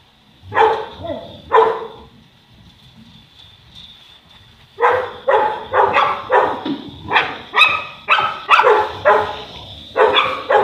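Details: Boerboel (South African Mastiff) kept in Egypt, one of the couple Enzo and Diva; two separate barks open the clip, a quiet gap follows, then a fast run of loud, rich barks about twice per second to the end.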